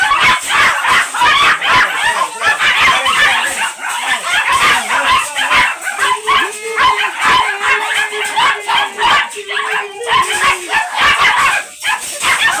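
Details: Shih Tzu with a dark chocolate-liver coat at a kennel in Manaoag, Pangasinan, for stud service; dense, shrill yapping runs continuously, with a few drawn-out whiny tones midway amid the clamour.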